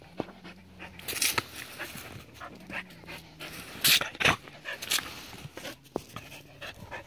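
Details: Seven-year-old Border Collie playing with water: fast uneven panting at about two and a half breaths per second, with a few sharp broadband splashy bursts near the middle and a faint low hum underneath.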